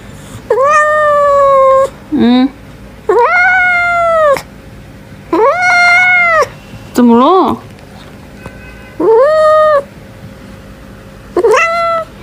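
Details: Angry domestic cat letting out a series of loud, strained meows about every one to two seconds, each rising then holding level before dropping, with short lower yowls between.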